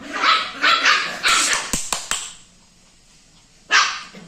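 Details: A puppy gives a quick run of four or five sharp, yelping barks over the first second and a half, then a few dry clicks, a pause, and one more bark near the end.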